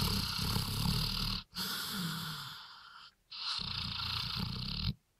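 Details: Sawmill dog after three beers, its 'talking' heard as long, rough, breathy groans with a low voiced undertone. Three sustained bursts are separated by short silences, and a person answers 'Ja' afterwards.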